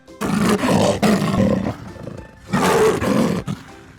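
A leopard gives deep, harsh roars in two long rasping bursts, with soft music behind.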